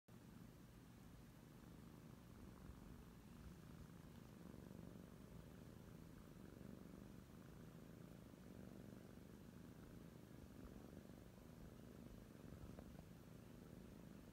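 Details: Two Oriental Shorthair kittens purring close by, a soft, continuous low rumble that holds steady for the whole stretch without pauses, quiet overall with no other clear sounds.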